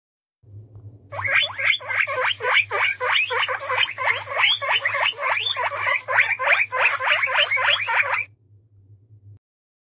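A guinea pig gives a rapid run of shrill, rising squeaks, about three each second.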